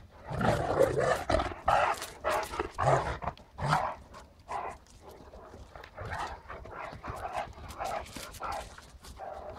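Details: Ole and Oline, a pair of Great Danes, giving a run of deep, rough barks in the first four seconds, then softer, quicker yips and whines. Faint human voices can be heard in the background.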